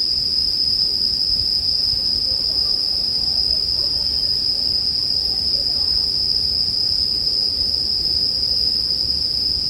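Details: Sleep background of bell crickets and a crackling bonfire, heard as a flat, unwavering high ring over a soft low rumble and faint scattered pops.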